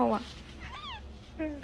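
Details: Pet cat giving short meows, one rising then falling arched call between brief harmonic bursts, with a voice saying "okay okay" right afterward.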